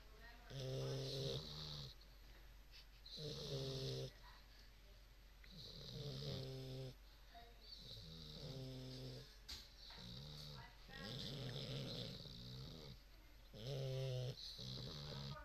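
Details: Two sleeping English Bulldog puppies give deep, rattling snores, each breath a rough, buzzy rasp with a hissing edge, in an uneven rhythm roughly every two to three seconds, with a faint voice in the background.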